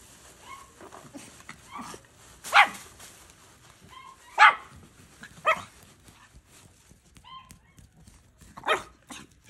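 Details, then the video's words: Puppies barking: short, sharp yips and barks come in scattered bursts of one or two, a few seconds apart. Some are louder and higher, and a faint background hiss runs between them. "Dog barking sound"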